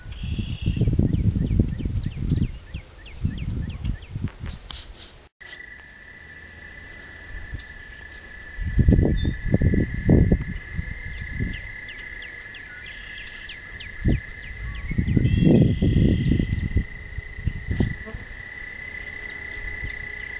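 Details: Toads singing at night along a walking path: a steady, unbroken high trill holds one pitch through the second half, over low rumbling gusts of wind or handling noise and scattered faint bird chirps.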